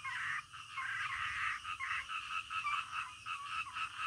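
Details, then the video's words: Frogs calling in the middle of the night, a dense chorus of rasping croaks overlapping in broken bursts, with a steady high insect-like hiss running underneath. "SUARA KODOK DITENGAH MALAM"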